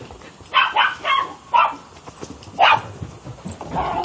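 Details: Shadow, a dog playing tug-of-war on 15 February 2015, lets out short, sharp barks and yips, about six bursts in four seconds at uneven intervals, with a soft low rumble and household noise underneath.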